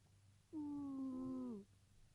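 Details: Deeply asleep house cat producing one steady, level, nasal tone about a second long that dips slightly at the end, over a quiet indoor hum.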